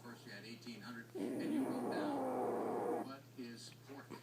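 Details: French Bulldog named Maddy, a pet, snoring loudly in her sleep; one long, rough, rasping snore lasting about two seconds, with quiet human speech before and after it.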